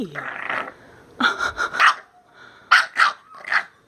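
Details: Bulldog Minka protesting her new shirt with a tantrum: a string of harsh, grumbling barks in two clusters, each outburst rough and throaty, separated by a short lull.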